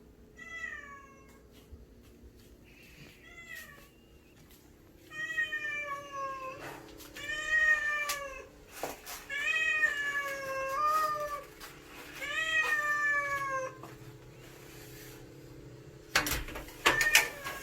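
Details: Stray cat that comes every day asking for food, meowing repeatedly: a series of long, harmonic, slightly falling meows of about a second each, several in a row, with clicks and knocks between them and a quiet indoor hum.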